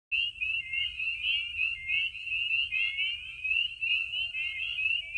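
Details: Spring peeper (Pseudacris crucifer) chorus at night under the moon at warming vernal pools in Maine in spring: countless high, slightly rising peeps overlap into a continuous shrill ring, with a barred owl possibly hooting.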